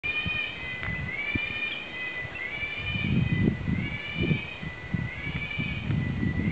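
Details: A cicada in Gunung Raya, Langkawi, Malaysia holds a continuous, high, metallic ringing tone, lifting briefly in pitch every two seconds or so, over low rumbling wind and handling noise.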